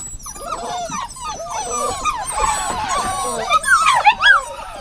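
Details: Dog whining in dense, overlapping high-pitched whimpers that bend up and down, several voices at once, rising into sharper, wavering squeals near the end.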